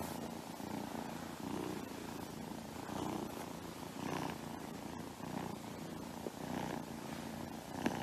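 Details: Persian kitten purring, a low, steady rumbling purr throughout with soft rhythmic pulses and faint room noise.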